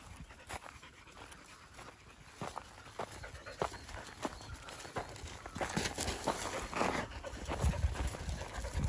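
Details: Twelve-year-old yellow female field-type Labrador Retriever on a riverside walk, soft breathy panting in irregular short bursts, with low outdoor rumble and scattered clicks and rustles throughout.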